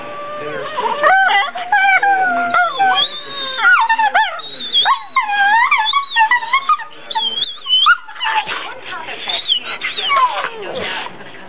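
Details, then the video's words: Two pit bull brothers play together in bed, too tired for outdoor play and kept from barking. They make a stream of wavering moans, warbling howl-like rises and squeaky yips, loud and near, with brief snorts between. "pit bulls playing more crazy pit bull sounds"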